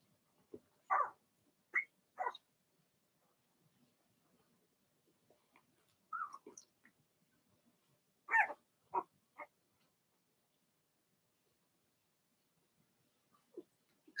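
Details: Blenheim Cavalier King Charles Spaniel puppies from Remy's first litter of six, in a home puppy pen, give scattered short yipping barks in small bursts separated by quiet pauses, with faint shuffling between them.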